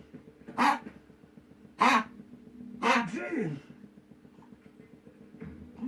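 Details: A Spitz dog coughing in an odd, non-doglike way: three harsh, broadband coughs roughly a second apart, the last stretched into a voiced, rasping wheeze, with speech audible nearby.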